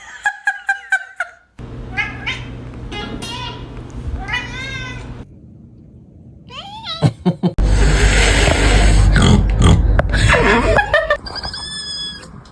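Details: Pet cat making funny sounds: a quick run of short, bright meows at the start, then abrupt cuts to wavering cries and a loud, harsh stretch of broadband noise, ending with high thin squeaks.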